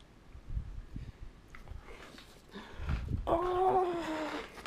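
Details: An Italian Greyhound playfully "attacking" its owner makes low rumbling noises, then gives a drawn-out, slightly falling whine.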